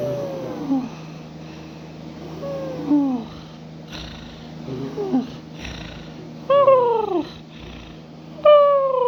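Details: Sleeping house cat snoring and purring: faint falling squeaks at first, growing into clearer, higher descending whines toward the end, spaced about two seconds apart, over a steady low hum.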